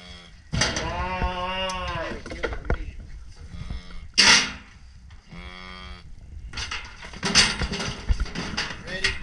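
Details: Red Angus cattle, calves and cows being worked: a long harmonic moo rising and falling over about two seconds, followed by shorter lowing calls, with clanking noises and a burst of metallic rattle in between.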